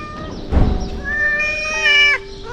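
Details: Rescued mother cat at a shelter for street cats, where she adopted all the kittens, giving a clear, drawn-out meow that rises and holds steady, with a soft thump near the start and a second faint call at the end.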